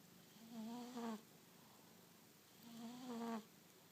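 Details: Sleeping pet cat snoring almost as loud as a husband: two low, tonal, slightly wavering snores with a faint whistling overtone, each lasting under a second, about two and a half seconds apart, with quiet indoor background between breaths.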